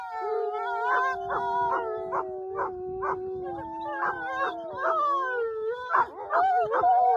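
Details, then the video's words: Wolves howl as a group, one low steady howl running underneath while others add rapid yips and short barking yelps roughly twice a second, then rising wavering howls at the close. "THE SOUND OF HOWLING WOLVES"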